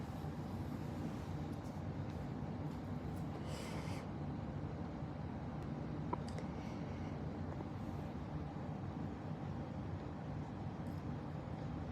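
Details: Steady low rumble like distant traffic, with faint brief rustles and no animal calls.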